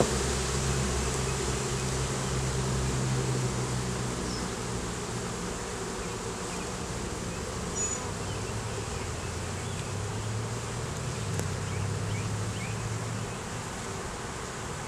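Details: Hive of honey bees during an inspection in a beeyard, where a laying queen, capped brood, larvae and honey turn up; DSLR recording. A dense, droning hum with a strong low banded tone that swells and shifts slightly, with faint high chirps.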